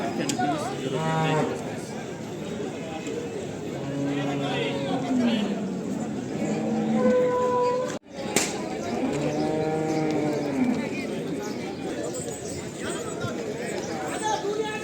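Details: Cattle at the Chakan bull market on Rohkal road, Khed, Pune district, on Saturday 3/8/2025: several low, drawn-out moos with a rising-and-falling tone, mixed with steady crowd chatter and men talking nearby.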